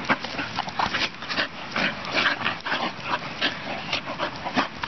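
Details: Two young English Bull Terriers play fighting on a farm field, producing short, gritty growl-snarls in rapid uneven bursts, interspersed with heavy panting.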